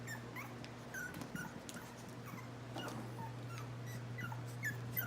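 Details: Chihuahua puppies (lavender merle, black tri and light fawn merle) on August 21, 2018 let out brief, high, upward-bending yips and whimpers, irregular and soft, against a droning background hum.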